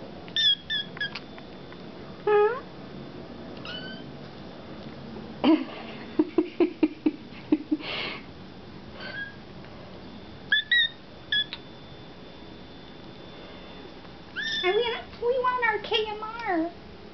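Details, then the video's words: Hungry foster kittens Sir Purrsalot and Excallipurr crying indoors while their KMR kitten milk is mixed; scattered high squeaky mews, clattering and tapping of the preparation midway, then a rapid run of wavering, rising-and-falling cries. "Kittens Crying for KMR Kitten Milk"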